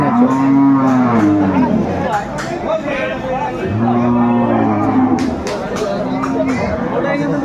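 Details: Dairy cows and calves at the Aftabganj cattle market: two long, low, steady moos with a slight fall at the end, about three seconds apart, over constant crowd chatter and market bustle.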